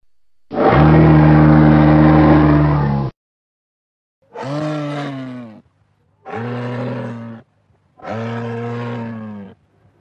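A moose gives deep, drawn-out nasal moans, one long and steady, then three shorter sagging ones.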